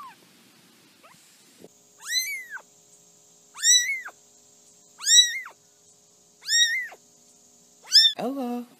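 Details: High, arched kitten meows repeat steadily about every one and a half seconds, five clear cries in a row, the last dropping lower, with a faint constant high hum behind them.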